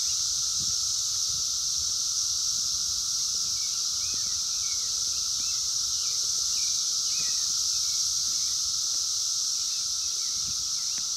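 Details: Wild 17-year Brood X periodical cicadas during their 2021 emergence, recorded on a phone: a dense, unbroken high hissing chorus with a steady lower droning hum beneath, and faint small bird chirps scattered through.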